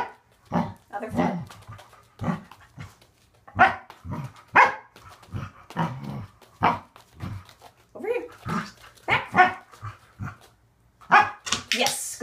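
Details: Waffle, a male Corgi, barks excitedly during an unedited training session on extending his back feet, with short sharp yaps repeated throughout, mixed with a woman's commands and praise.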